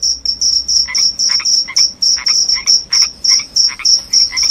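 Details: Loud cricket chirping, offered as a sound to drive away rats and bring on sleep: short high chirps repeated about three to four times a second, with lower rasping pulses beneath many of them.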